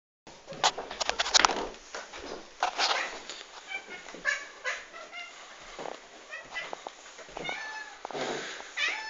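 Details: Cats waiting for breakfast, their calls said to sound like a cockerel: short, strained, harmonic yowls rising out of clattering and rustling noise, with a longer cry near the end.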